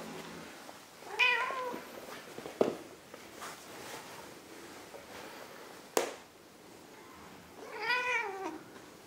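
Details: Indoors with a big and a little Ragdoll: two clear, arching tonal meows, one early and one near the end, separated by sharp knocks and handling noise in a quiet room.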